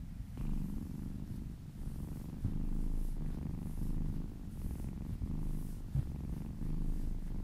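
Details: Happy kittens purring while being massaged: a steady, deep rumbling purr, slightly pulsed, with brief dips between breaths and faint soft swishing of hands rubbing fur above it.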